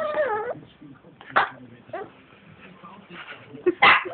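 A French Bulldog gives a wavering, descending whine, then short grumbling yips while sulking.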